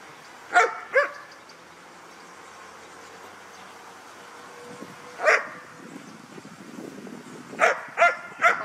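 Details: A Vietnamese guard dog in training to watch over belongings, giving sharp barks: two close together, one alone midway, then a final run of three; low background noise.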